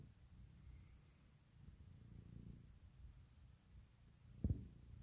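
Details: Puk, a female pet cat, purring in the morning while waking her owner and asking for cuddles and kisses indoors; a low, steady rumbling that swells and fades in soft waves, with one sharp click near the end.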